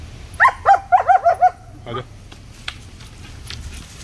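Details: German Shepherd puppy named Sangi, playing with his sticks, gives a quick run of six high, tonal yapping barks within about a second, followed by a short rough thump and quiet room noise.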